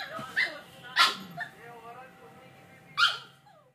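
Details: Two-month-old Samoyed puppy giving high, sharp barks, one near the start and another after a pause, with soft whining notes and a human voice murmuring in between.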